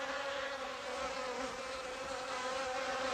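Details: Hornets in autumn, when food grows scarce, seeking out a native honeybee colony to raid: a steady, droning wing buzz with a low hum and layered overtones, holding even throughout without breaks.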